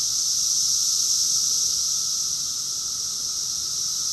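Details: June 2021 summer cicada chorus from Rockville, Maryland, USA: an intense, steady high buzz like hissing steam, slightly louder at the start and then settling, with a soft lower tone running underneath.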